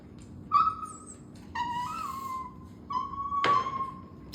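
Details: Pet Chinese rural dog whimpering as if trying to talk, craving something. It makes short and drawn-out tonal whines with slight wavers, with a sharp click partway through, indoors and otherwise quiet.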